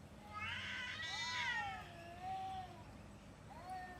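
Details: Domestic cat during a fight: a drawn-out, wavering yowl that rises and falls over about two seconds, followed by a shorter rising wail near the end, over a low background rumble.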